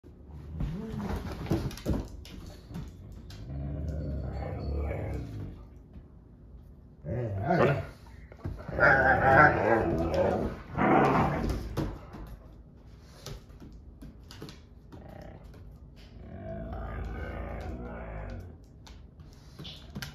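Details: Husky-Malamute mix named Sasha, indoors, voicing displeasure while Kat the Husky and Paco the Doberman play; drawn-out, wavering moans and yowls come in three bouts separated by quieter pauses with household noises.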